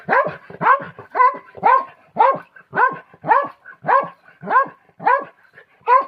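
A Pomeranian barks in a steady series of short, high yappy barks.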